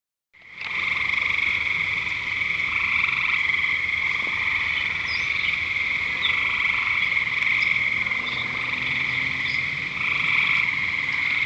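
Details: Frogs calling at Lake Curcio: a dense, continuous chorus of high, trilling croaks forming a steady band of overlapping voices, with brief higher chirps scattered through.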